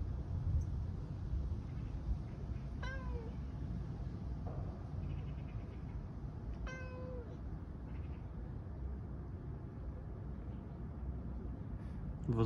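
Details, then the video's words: Siberian cat trapped in a tire, attempting to climb out, makes two descending meows several seconds apart, with a faint short sound between and low rumbling background noise. "Cat Alice solving the puzzle of escaping from the tire (Siberian cat)"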